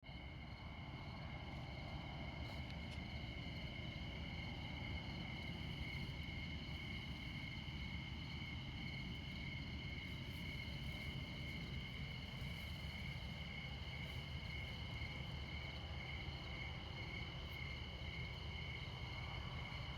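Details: Crickets chirping at midnight in Montana beside Interstate 94, in the far north of the continental USA: a steady, unbroken high trill in several stacked tones, over a constant low rumble of highway traffic.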